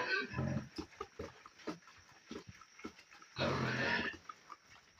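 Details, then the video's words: Young pigs feeding in their pen, with short low grunts scattered through and a louder burst of noisy squealing and chewing sounds near the end. "Piggylicious Feeding Frenzy: Watch these adorable piggies chow down in their pen"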